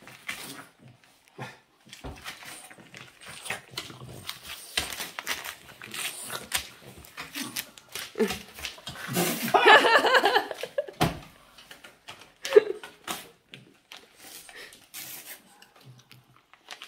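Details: Boston Terrier named Yoda "reading" indoors: a run of short grumbly, mumbling vocal bursts of uneven rhythm, with one louder drawn-out groan in the middle and a quiet room behind.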